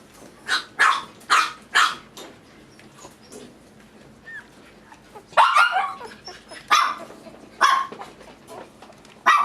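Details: Male toy poodle puppy at a breeder in Tokyo, Japan, giving sharp, high yapping barks: four quick barks in the first two seconds, a short pause, then a denser burst of barks from about five and a half seconds, with one final yap at the end.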